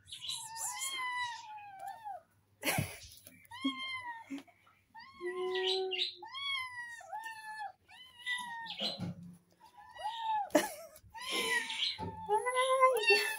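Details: Several playful kittens calling over one another in a small room, giving a dense run of high, bending meows, some rising and some falling, nearly continuous with brief gaps and an occasional sharp thump.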